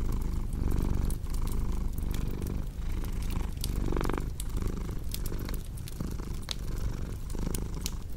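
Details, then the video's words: A cat's deep, continuous purr rises and falls in rhythmic breathing cycles, while a crackling fireplace adds scattered bright pops and clicks throughout. "Purring Cat with Cozy Crackling Fireplace Sound"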